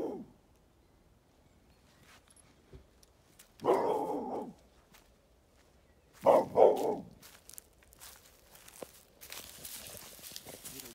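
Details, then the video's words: Oernie the dog barking at a floating duck house, a few separate barks including a quick double bark, with footsteps and rustling outdoors. "Hund bellt schwimmendes Entenhaus an"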